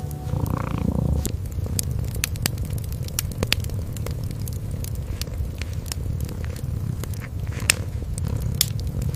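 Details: Low, rolling purring from a kitten asleep in front of a hearth, a steady throaty vibration under frequent sharp crackles and snaps of burning wood.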